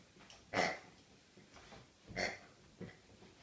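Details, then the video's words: Snuffling Rhodesian Ridgeback on its birthday: three breathy, pig-like snorts, the first two strong and about a second and a half apart, the last one shorter and softer, over a quiet background. "Geburtsagsschwein :-) (Rhodesian Ridgeback)"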